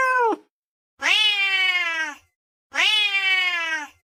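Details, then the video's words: Domestic cat meowing clearly: a short clipped meow followed by two longer, bright, slightly falling meows of about a second each, spaced roughly two seconds apart, with silence between and no other sounds. "Tiếng mèo kêu"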